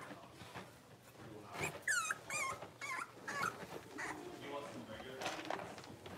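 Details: Six-week-old blenheim Cavalier King Charles Spaniel puppies, a litter of five born on New Year's, in an indoor puppy pen: overlapping high, wavering whimpers and squeaks, bending up and down, come in quick irregular bursts amid soft background chatter.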